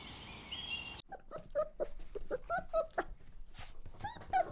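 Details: Puppies running and playing together on a green grassy meadow give a quick series of short, high, yelping yips, several per second, after a brief opening of other noise.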